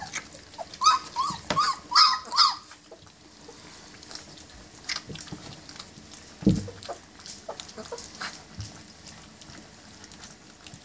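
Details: German Shepherd puppies, 20 days old, at their first meal: a cluster of high whimpering squeaks in the first few seconds, rising then falling, followed by quieter scattered feeding noises and faint clicks.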